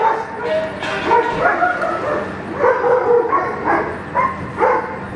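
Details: Young German Shepherd named Echo working through Schutzhund 1 blind practice, barking steadily in sharp, mid-pitched single barks spaced roughly a second apart, some slightly doubled, with faint human voice beneath.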